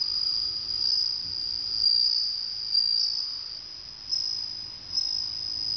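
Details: A bell cricket sings a high, clear, bell-like ringing trill that runs almost without pause, a sound of summer, heard at home.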